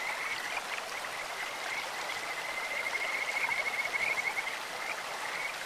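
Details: Stream-dwelling Kajika frog giving a bright, pulsed whistling trill that strengthens through the middle seconds and breaks off, with short weaker notes around it and constant water noise beneath.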